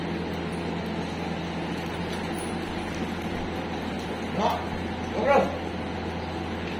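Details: Dog at a dog training school in Jodhpur, recorded 17 September 2022 during training; two short, harsh barks about a second apart near the end, over a steady low hum and faint background voices.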